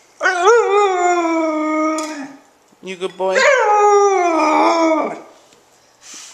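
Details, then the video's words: Siberian Husky puppy that hates a "beep" noise gives two long, drawn-out howls with a slight waver, separated by a short break with lower, broken notes. "Cute Husky Puppy Howls at "Beep Beep Beep" Sound"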